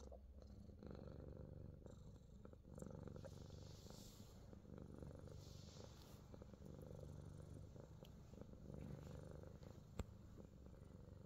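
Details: Himalayan Persian cat being massaged in New Zealand, purring in a low, even, pulsing drone that barely changes over eleven seconds. One sharp tap sounds near the end.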